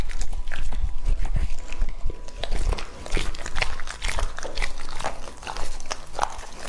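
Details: Heavy, low wet chomping from Lucky, a male English-type Labrador Retriever aged two and a half, working through raw meat, then lighter crisp bites spaced about every half second.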